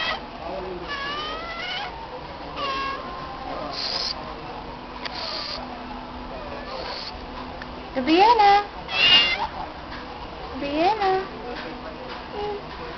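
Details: A female stray cat answering when her name is called, giving a series of drawn-out, wavering meows that rise and fall, spread across the recording, mixed with sharp noise bursts, handling sounds and faint human voices.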